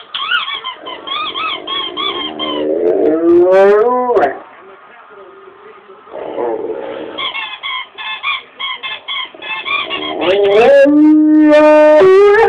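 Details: Rommel the dog gives a varied run of vocalising. Wavering high whines and rising glides lead into a quiet pause, then more warbling. Near the end come long, steady, sustained howling tones.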